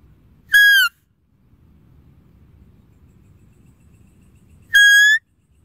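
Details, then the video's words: Deer call heard twice: the first a short high whistle bending downward, the second flatter and slightly rising, both strongly overtoned, with soft low-frequency noise in the gap. "Deer Calling Sound"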